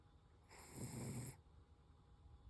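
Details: Koro, a Toy Poodle, gives a single snore lasting under a second, a rough low rasp with a hissy breath edge, then quiet room hum.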